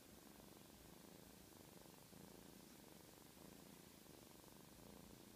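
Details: Black kitten purring: a soft, steady, low rumbling drone that runs evenly through the whole stretch over a faint hiss of background noise.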